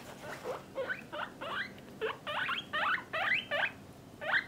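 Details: Pet guinea pigs, a parent and offspring family kept in separate cages for males and females, give a run of about nine short rising squeaks, each sweeping upward, spaced irregularly across four seconds, over a faint indoor hum.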